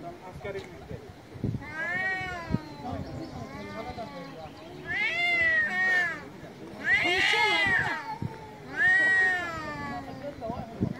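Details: Angry cat meowing loud and often: a long wavering wail, then three shorter harsh meows about two seconds apart, each bending up and down, with faint background noise between.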